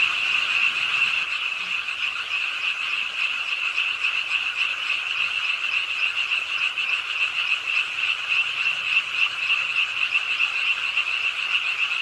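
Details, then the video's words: Many frogs croaking at a pond's edge in Ingye Art Park, Suwon, on a rainy late night: a dense, unbroken chorus of rapid, high-pitched rattling croaks, steady throughout, over a constant hiss of falling rain. "비오는 밤 개구리소리"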